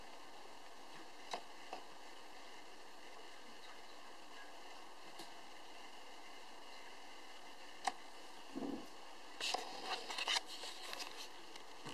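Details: A quiet indoor room with a steady fan-like hum, a few sharp clicks and a short burst of handling noise near the end.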